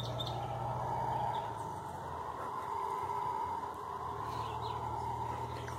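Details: Howler monkeys calling in the forest, a far-off, sustained droning roar that swells and fades in slow pulses, over a steady low mechanical hum with faint scattered bird chirps.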